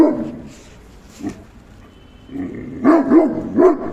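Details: Dog barking: after a quiet start with one faint yelp, a quick pair of loud, harsh barks, then a third bark about half a second later.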